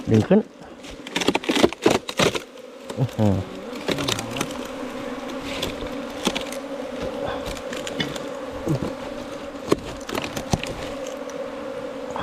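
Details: A colony of bees housed in a 4-metre bamboo stalk. Loud thumps and clatter come first, then a continuous low, even droning hum carries on with occasional faint taps.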